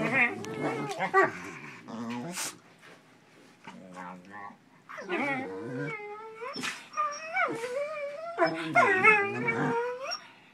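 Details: Pit bull puppy and shepherd at play, the puppy antagonizing its reluctant shepherd buddy; wavering whines and howl-like yelps rising and falling, bursts repeated several times with brief quieter gaps and scuffling.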